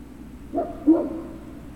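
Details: Great Dane puppies at Puppy Hill, dated 03-06-2019 in the late afternoon: one short two-part puppy yelp, a brief cry then a louder whining note, over a low steady hum.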